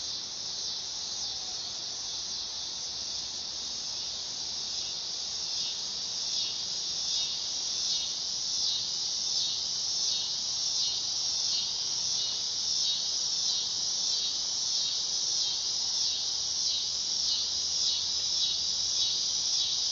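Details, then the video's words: Dog-day cicada (Neotibicen canicularis) singing a continuous high buzzing drone with a fast shimmering pulse that swells gradually louder across the twenty seconds; no other sounds stand out. "Cicada sound / call / noise | Dog day"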